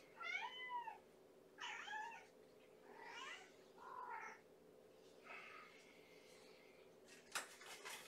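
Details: Hungry kitten, one of Gamora's five Infinity Kittens born April 14, calling at bedtime feeding in a kennel: four or five clear, arched harmonic meows spaced about a second apart, then faint clicks and a sharp knock.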